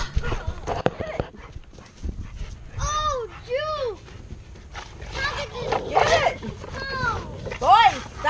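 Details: A 110 lb Alaskan Malamute wrestling and playing tug with an 86 lb pit bull and two boys. It gives arched, rising-then-falling whining yowls in short bursts, mixed with children's and an adult's voices and scuffling.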